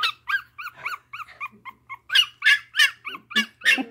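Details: Newborn chocolate Dachshund puppy opening her eyes, whimpering in a rapid series of short high squeaky yelps, several per second, rising and falling in pitch and growing louder.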